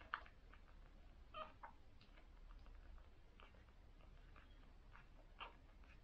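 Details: First-day cocker spaniel puppies from a litter of six: thin, mewing squeaks and short whines rise above soft suckling clicks and a low steady hum.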